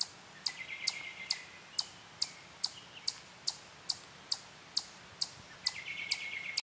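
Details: At Durand Eastman Park, in a sassafras grove near a playground, a chipmunk on a tree stops eating and sounds steady sharp, high chips about twice a second, a defensive call made while staying still; a robin's whinny alarm call sounds in the background.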